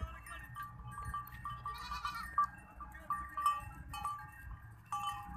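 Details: Herd of goats returning home from the forest in the evening, giving repeated wavering mid-pitched bleats in quick irregular succession over a steady low rumble of background noise.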